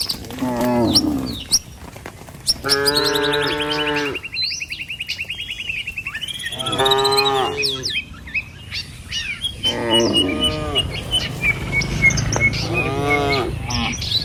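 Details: Village cattle being herded along the road to their pen: several loud, sustained moos separated by pauses, one blending into a long whistle-like tone, birds chirping between calls.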